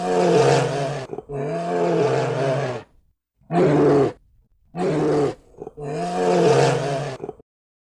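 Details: A bear, from a children's animal-sounds collection, gives five deep, groaning roars. Each is a sustained, tonal, moaning call lasting about half a second to nearly two seconds, separated by short silences.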